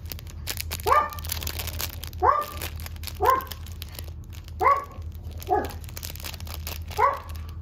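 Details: Red female Toy Poodle puppy named Kurumi, three months old, born 7 May, kept at a Toy Poodle house in Machiya, Arakawa, Tokyo; sharp high yapping barks repeated about every second or so, six in all, over a low steady indoor hum.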